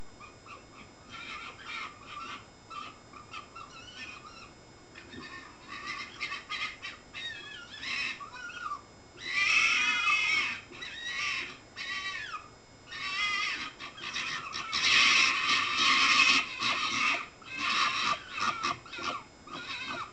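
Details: Three foxes trade high, wavering whines and squeals in uneven, chattering bursts, recorded on 14 May.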